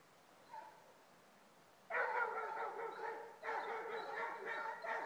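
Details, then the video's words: Basset Hounds on a rabbit trail. After about two seconds of near quiet, sustained full-throated baying begins, long rich harmonic cries that overlap as the two hounds sound together, with a short break before they resume. "Basset Hounds on the trail - tried and ahrooooo"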